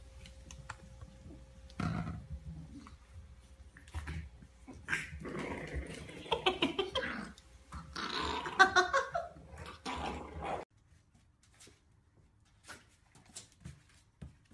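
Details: Bulldog puppies in a funny pet compilation: rough, noisy little dog vocal bursts cluster in the middle few seconds, with scattered clicks and a quiet stretch at the end.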